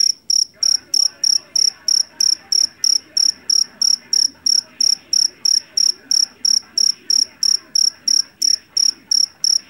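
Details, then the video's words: Loud-voiced jangkrik jeliteng, a field cricket caught in rice fields of Java, keeps up an even run of bright, metallic chirps about three per second over faint low background noise. "SUARA JANGKRIK PENGUSIR TIKUS SUARA ASLI"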